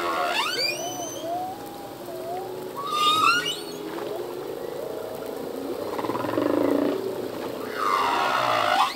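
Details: Humpback whale male song, a cascade of rising whistled upsweeps, then a wavering cry, a low moan and a harsh swelling roar near the end, over steady sea hiss.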